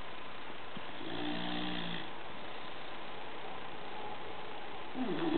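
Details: Gordo, a sleeping bulldog, snores indoors: one drawn-out, rattling snore with a low, layered tone lasting about a second, then steady room hiss and a short, fainter snuffle near the end.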